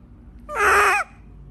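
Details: A frightened monkey gives one loud, harsh screech of about half a second, strained and slightly arched in pitch, like the written 'kriiik kreik', with only a faint low hum behind it.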